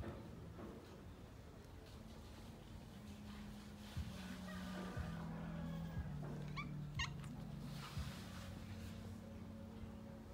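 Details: Kittens fighting while playing, giving short harmonic mews and growly cries mostly between the third and eighth seconds, over a steady backing of low, stepped musical tones throughout.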